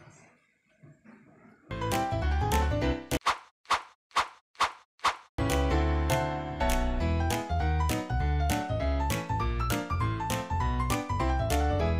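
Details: Quiet rumbling at first, then loud music with a steady beat, a run of sharp percussive hits and repeated thumping, with no animal voice heard.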